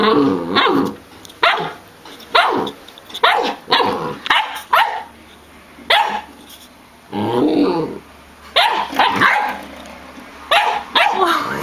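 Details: Samoyed dogs: short, loud harmonic barks and yelps in an irregular series of about a dozen bursts over roughly twelve seconds, each burst rough and broadband with quiet gaps between them.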